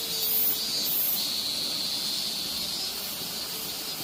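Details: Late-summer minmin-zemi, the robust cicada, in Minoh, Osaka, still singing after the city's cicadas have gone quiet. Bright, high, buzzing chorus, loud pulses early on that settle into a steadier shimmering drone, with a faint low tone at first.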